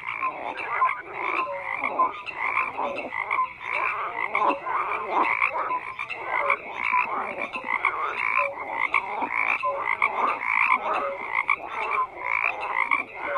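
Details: Frogs croaking en masse, a dense carpet of grating pulsed calls surging roughly each second, plus scattered short whistles, steady from start to end.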